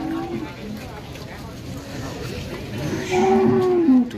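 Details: Jumbo Limousin cattle at a Boyolali farm in Central Java: after quiet background hum and faint voices, one loud moo about a second long arrives near the end, holding a steady pitch before sliding down.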